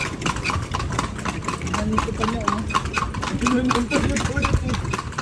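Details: Horse ridden through Vigan on a tour: uneven hoof clops under loud conversation, with voices dominating and a faint engine hum behind.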